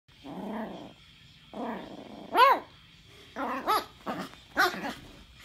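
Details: Eight-week-old pug puppy grumbling while unsure how to deal with a pig ear; harmonic nasal grumbles and yelping barks, first low and drawn out, then sharper rising-falling yips in quick succession.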